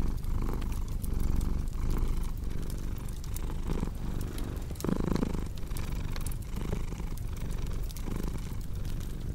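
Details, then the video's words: Low purr of a cat in steady pulsing cycles, one breath phase briefly louder and rougher midway, accompanied by the soft crackle and occasional snap of a fireplace. "Purring Cat with Cozy Crackling Fireplace Sound"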